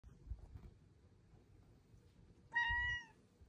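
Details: A female pet cat being cuddled indoors gives a single clear, tonal meow lasting about half a second near the end, after quiet rustling and soft room noise.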